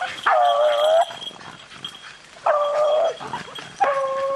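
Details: Hunting beagles on a rabbit in rainy weather give three long, level, ringing bays, each held under a second with a steady tone, separated by pauses filled with low background hiss.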